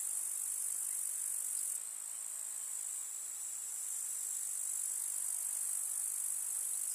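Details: Summer meadow grasshoppers in the countryside produce a continuous high, hissing stridulation, an unbroken bright wall of insect sound that eases slightly after two seconds and then stays even.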